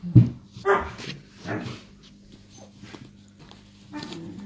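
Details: Irish Wolfhound puppies, five and a half weeks old, playing indoors: a few short yelping whimpers and soft vocal bursts, spaced about a second apart, with quiet gaps and a steady low hum in a small room.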